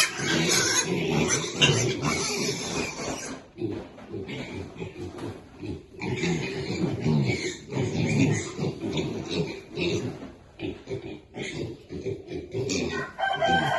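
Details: Baby pigs feeding happily, dense overlapping grunts and snorts with rustling and chewing noise throughout, level rising and falling in irregular bursts, a voice faintly present.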